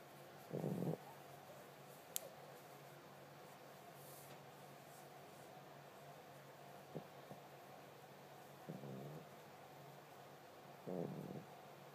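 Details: A sleeping tiger brindle Boxer puppy named Spartacus snores softly, with three short low rasping snores spread over about twelve seconds, plus faint clicks and quiet stretches between them.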